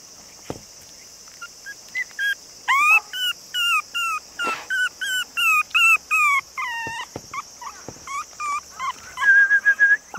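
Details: Cream-and-white male long-haired Chihuahua puppy, 48 days old, roughly 480 g, Nara, Japan, 2 September: dozens of quick, thin whining yelps in close succession, some hooked and bending, ending in a longer drawn-out whine, with constant background hiss.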